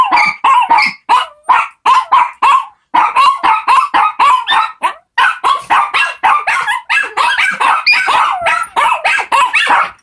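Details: A group of four Shih Tzu puppies singing as one, with rapid choppy yips and yelping barks, several a second, broken by short gaps, plus some bending whiny tones woven through the clamor.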